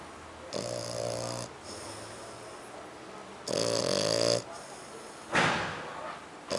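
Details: A dog identified only as a French Bulldog or a Pug snores in its sleep. Three harsh, rattling breaths come about every two to three seconds, with a quieter wheezy exhale following one of them.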